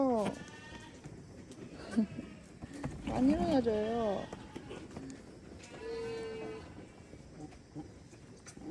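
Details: Black goat bleating while giving birth on a farm. A wavering, quavering bleat lasts about a second, then a flatter, steadier bleat follows several seconds later. People talk throughout, with handling noises.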